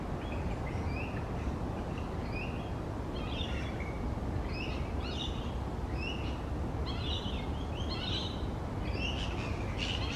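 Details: Grey-headed flying foxes, many fruit bats roosting in a large colony on tree branches; frequent overlapping harsh chattering squawks, growing busier toward the end, above a steady low rumble.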